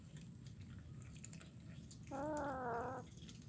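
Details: Kitten eating fish bones in Kuala Kapuas, Central Kalimantan, Indonesia, recorded 17 July 2019: a single clear meow of nearly a second, steady and slightly wavering, rising out of a quiet room hum after a short silence.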